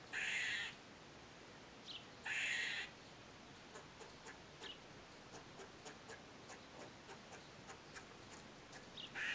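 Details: Eastern gray squirrel filmed using a Nikon D3500 and Tamron 500mm lens: two loud grating buzzes near the start, then scattered soft ticks and short chips before another harsh burst at the end.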